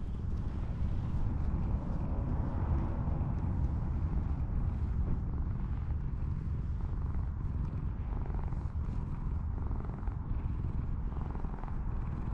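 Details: Cat being petted after coming out of the grass, a continuous low rumbling purr running without a break under dense low-frequency background noise.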